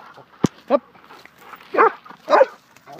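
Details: Labrador Retriever puppy being scolded, giving a sharp click then a run of short harmonic yips and whimpering barks, roughly three in two seconds, with a person's voice around them.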